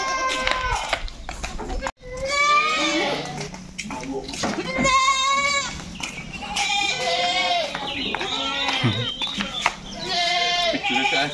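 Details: Several goats bleat during shipment loading at a farm. Repeated quavering bleats come one after another, some long and drawn out. Thumps, rattling and human voices run throughout.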